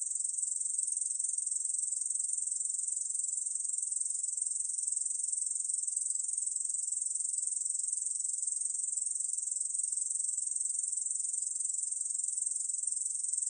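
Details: Continuous high buzzing trill of a Korean bush cricket, fast and uniform, sustained from start to finish with no gaps. No other animals or noise.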